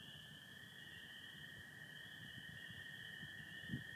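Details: Spring peepers on an April night in Michigan, 2025, calling en masse as a steady high chorus. American toads trill continuously lower down, and a brief low thump sounds near the end.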